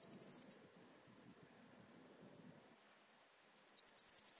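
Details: Swiss gold grasshopper singing at Wildhaus, Switzerland, 7 October 2022: a high, crackling pulse-train ends, near-silence with faint low rustling follows, then another burst of about ten loud, buzzy pulses begins.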